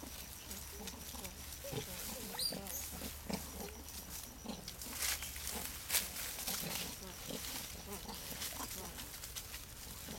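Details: Formosan rock macaques at Shoushan, Taiwan, with male twin infants born 13 May 2011, give a steady stream of short, low grunting calls over a constant low hum.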